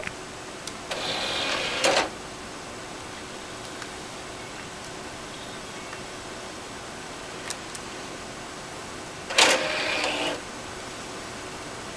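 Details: Quiet room hiss broken by two short bursts of mechanical whirring, with no animal voice.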